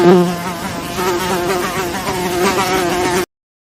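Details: Flies buzzing in a steady, continuous drone with a low hum and stacked harmonics, wavering slightly in pitch for about three seconds before stopping abruptly.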